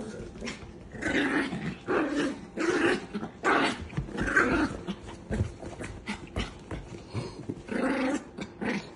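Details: Chihuahua giving harsh, rasping growls in uneven bursts roughly every second, some rising into snarls, mixed with nearby human voices and laughter indoors.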